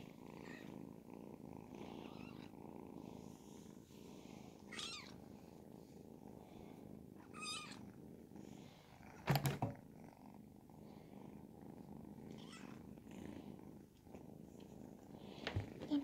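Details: Continuous soft purring from Ragdoll kittens aged 10 and 12 weeks while being petted, an even low throb broken by a few quiet rustles and one sharp knock partway through.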